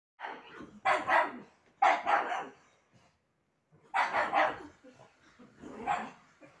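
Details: A pug gives a series of short, rough barks in two bursts while being kept off the bed.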